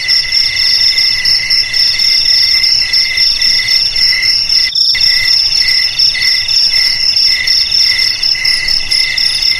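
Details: Several crickets trilling together in high, rapidly pulsed bands that stay level throughout, broken by a brief total silence near the middle before the chorus resumes unchanged.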